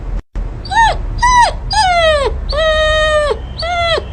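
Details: A dog gives five drawn-out, high whining yelps, each a clear tone that holds and then drops at the end, lasting about half a second to nearly a second, with short pauses between.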